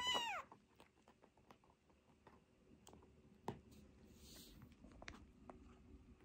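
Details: Fostered kitten, one of an emergency-rescued sister and brother pair taken in around June 2022, indoors during toilet training: a single short, high, arched mew at the start, then quiet room noise with faint clicks and rustles.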